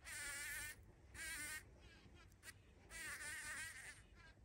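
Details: Bumblebee at a feeding place, recorded 14 June 2023: three loud wavering buzz bursts, each lasting under a second or so, separated by quieter gaps of background hiss.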